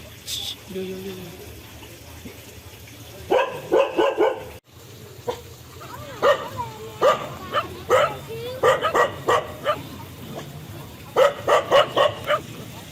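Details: A short low tone opens, then dog barks in rapid clusters after a brief pause, with whining yelps between bursts, over a constant background hum.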